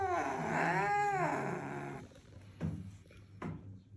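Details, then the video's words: Angry cat gives one drawn-out, arching wail that swells and fades over about two seconds, then falls silent apart from two soft thumps in a small room. "this cat has the loudest voice when it's angry"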